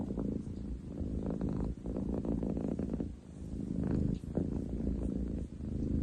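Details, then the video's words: Ten chan, a boy munchkin cat with long legs, purring on 30 July 2023; a coarse low rumble broken by short pauses between breaths, swelling in waves. "工事現場並みに喉を鳴らす猫。Cat purr like construction site!?"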